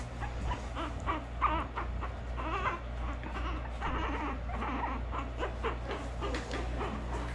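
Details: Orphaned North American river otter pups, about a month old, at a wildlife rehabilitation clinic during feeding time on specially formulated mustelid milk. Short squeaky whimpering cries come in quick bursts over a steady low hum, with handling noise and people talking.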